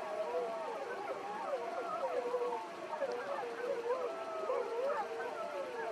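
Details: Several gray wolves (Canis lupus) from Yellowstone's Wapiti Pack, 13 seen that morning, give a chorus howl, their long wavering voices overlapping and rising and falling against one another.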